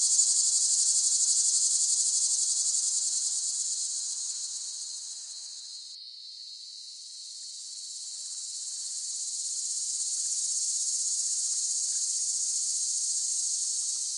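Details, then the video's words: Cicada singing in a long, piercing, high buzz that dips and softens midway, then swells back to full strength; no other sounds. "เสียงจักจั่น ฟังเพื่อผ่อนคลาย (Cicada Sound Effects)【セミの声】"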